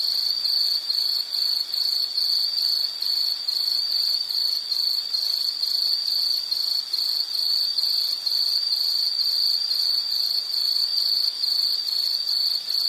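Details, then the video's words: Shrill insect chorus of rapid high pulses repeating about twice a second over a steady background trill, unchanging from start to finish with no other animals or voices. "Nature Sound of nature sounds scenery L · insect"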